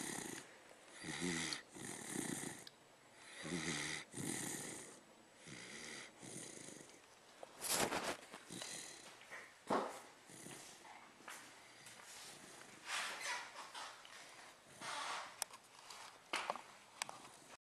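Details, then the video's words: Milo, a pet dog, snoring while napping; rhythmic raspy breathy snores recur every one to two seconds, each a short noisy rush with some nasal buzz, in a quiet room. "milo roncando"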